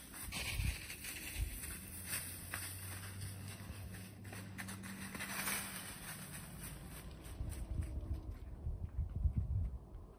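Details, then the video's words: A big mule deer buck gives low, guttural grunts at a doe, recorded from a tree stand above him. "Grunting Mule Deer Buck"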